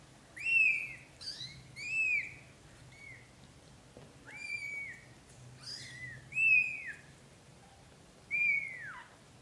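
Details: British shorthair kittens, black golden and blue golden, born to Leo and Samel and followed from birth to 30 days old, cry in a run of six shrill, bent-down mews, some long and some clipped, over steady low background hum.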